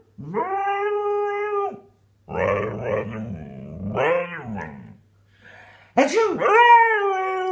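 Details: Indoors a husky grumbles back after its owner sneezes: a long level howl, then rough gargling growl-moans in several bursts, a pause, and a final sharp rising yowl; low hum in the room.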